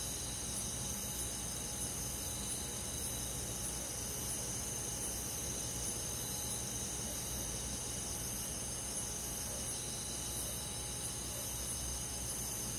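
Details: A summer-night insect chorus led by crickets in a rural forest. Continuous high, hissing trills overlap into a seamless wall of sound with gentle regular throbbing, and a low steady drone sits beneath throughout.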